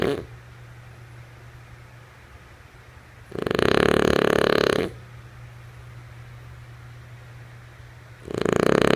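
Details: Snoring from Lulu, a female French Bulldog, while she sleeps: loud, harsh, rattling breaths roughly five seconds apart, the second one beginning as the recording ends, over a quiet low background hum.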